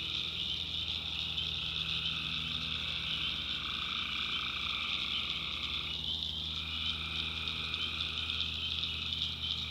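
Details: Tree frog chorus at night from the North Carolina backwoods: continuous shrill, buzzing trills in layered bands, one brief dip around the middle, over a faint low background drone.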